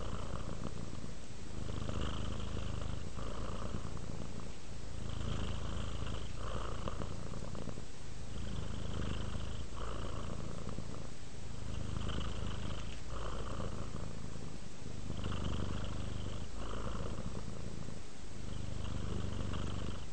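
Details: Relaxed pet cat purring close up, a low continuous rumble that swells and dips with its breathing roughly every one and a half to two seconds, nothing else audible.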